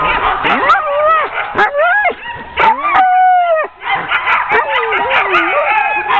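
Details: Ten sled dogs being hooked up for a training run in October 2010, barking and yelping excitedly in overlapping bursts, with rising whiny cries and one long sustained wail near the middle; a chorus of several dogs calling at once.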